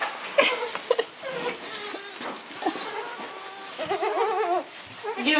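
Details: Baby goats bleating: a wavering, trembling bleat lasting nearly a second stands out near the end, with a shorter quavering bleat after it. Human voices, speech and laughter run throughout, with scattered short sharp sounds.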